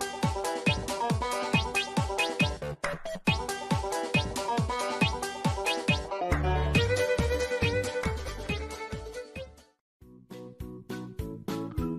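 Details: Upbeat electronic dance music with a steady beat and bright synth chords, a brief drop near the end, and no animal voice.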